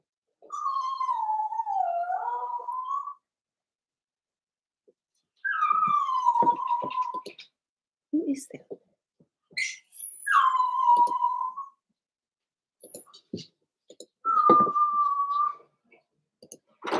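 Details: Cavalier King Charles Spaniel puppies, seven weeks old, in a puppy pen inside a home: drawn-out whines that dip and rise again, repeated in bouts every few seconds, with short squeaks, soft clicks and small household noises between.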